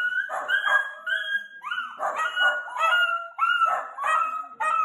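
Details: Playful Dachshund puppies making high, tonal whining yelps, each held briefly and overlapping in a steady chain of about two per second, with faint background sound.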